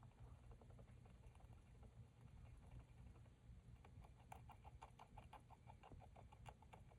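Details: Pet hamster lying prone while grinding her teeth, on a floor she has soaked and chewed to pieces; soft, quick clicking and grating ticks in irregular bursts, growing denser in the second half over a low steady hum.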